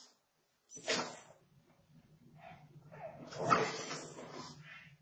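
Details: Boston Terrier playing while its owners are away indoors: a sharp short yelp, quieter rustling, then a longer rough, noisy growling vocal burst with low hum in the background.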